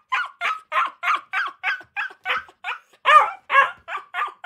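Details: Akita. High-pitched puppy barks from Akitas come in a rapid, steady series, each yap short and bright. A few louder, harsher barks break in near the end, as if more than one pup is calling.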